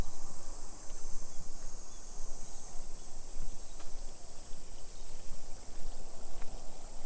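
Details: Cicadas in suburban Nagoya's Nisshin city, Japan, at 2 PM on 28 July 2021; an unchanging high, buzzy whine fills the background continuously, with faint short clicks and steady low-frequency rumble from a walk along the street.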